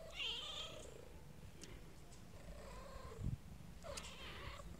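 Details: Kitten meowing: a clear high mew that rises and then falls, with rich harmonics, opening the recording. A softer low mew comes mid-way and a final bright mew near the end, over a steady low background hum.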